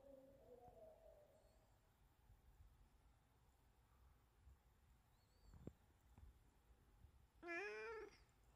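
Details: Younger brother cat, an orange-and-white male rescued as a kitten, meows to beg his owner for something; one loud, rising-then-falling harmonic meow near the end after a faint earlier mew, in a quiet room with soft speech.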